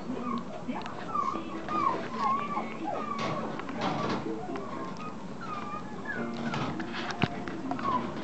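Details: Long-coat Chihuahua puppy, a male with black, tan and white coat, born 8 May 2014 and recorded 24 June 2014 in Chiba, Japan; repeated thin, curving squeaky whimpers over a busy indoor background with voices and faint music.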